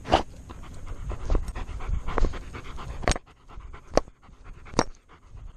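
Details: Alaskan Malamute wearing a chest-mounted camera, panting in quick rough breaths with a few louder bursts, plus rustling and handling noise.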